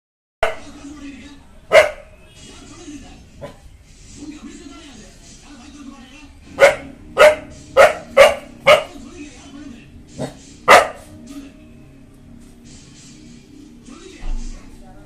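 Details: A Rajapalayam, an Indian native breed, barks aggressively at a stranger while guarding, short loud barks in quick bursts.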